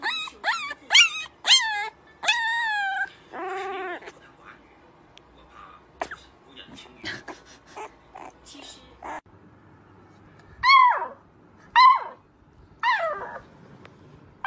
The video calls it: Adorable puppies howling